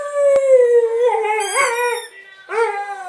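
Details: Blue Staffordshire Bull Terrier pet dog singing along with its favourite toy: a long, wavering howl sliding slowly downward with rich harmonics, then a brief rising yelp-like howl near the end.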